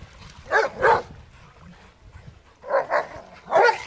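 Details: Rottweilers playing in water give paired loud barks, two early and three more after a short pause.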